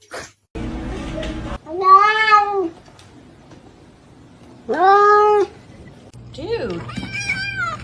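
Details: Cats in a fight, indoors; two loud drawn-out meows with arching harmonics, separated by quiet, then a wavering higher yowl, with people talking in the background.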